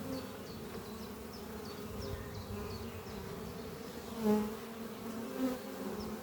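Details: Honey bees flying at their hive under trees on a spring morning, a strong colony whose workers are bringing in pollen. Steady low droning hum with layered tones, a brief louder swell near four seconds, and faint high chirps repeating in the background.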